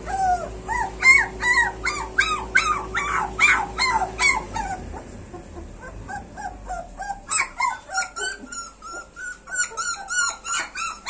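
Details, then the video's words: Street puppies whimpering and yelping in a dense run of high, arched, harmonic cries, several overlapping at first, then thinner, softer squeals trailing off in quick succession. "street dog puppies"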